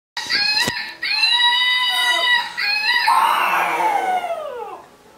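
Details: Molly, a five-month-old dog, howls for the first time: long sustained harmonic notes, steady then rising slightly, broken by brief pauses near one and two and a half seconds, ending in a wavering, falling howl that fades out.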